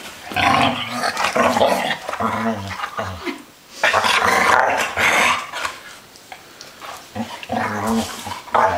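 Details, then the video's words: Playful growling from three dogs, deep rumbling growls stretched over a second or more and broken by short pauses, with excited snarls and a harsh higher whine overlapping the low rumble. "Noisy Dogs"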